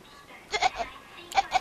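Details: Domestic cat giving short bleating calls likened to a baby goat's, two quick pairs of bright, harmonic 'ah' sounds a little under a second apart, with a faint room murmur between them.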